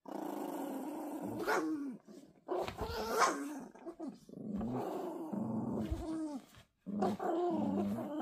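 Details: Toy Poodle puppies growling while playing tug-of-war, the small one fierce-tempered and finally winning; rough, throaty growls in bursts with brief gaps, pitch wavering up and down, a sharp rise near three seconds.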